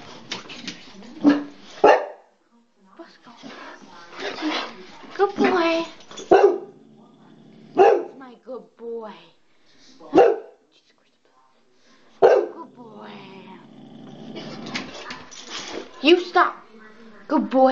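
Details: Dog barking at the door indoors: irregular short harsh barks and grumbling yelps spread over the clip, some in quick pairs, with a person talking soothingly throughout.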